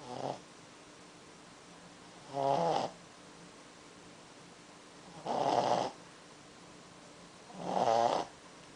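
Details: A napping Pekingese snores with slow, raspy breaths, four noisy bursts spaced about two and a half seconds apart in a quiet room.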